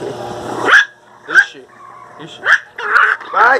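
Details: Miniature pinscher puppies fighting while being pulled apart: a woman's pleading voice, then five sharp high barks spaced roughly half a second to a second apart, the last ones close together.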